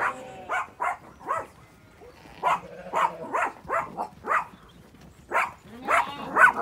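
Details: Inca, a female sheepdog on a County Kilkenny farm in Ireland, barks while hunting away Zwartbles ewes and lambs up a laneway into the orchard; short sharp barks repeat about twice a second with uneven gaps.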